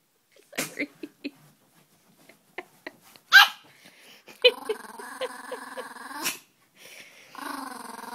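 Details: Small 5-lb Peka-Pom dogs, annoyed by another dog named Larry. A few soft taps come first, then a rattling, buzzy growl holds for about two seconds, pauses, and resumes more quietly near the end.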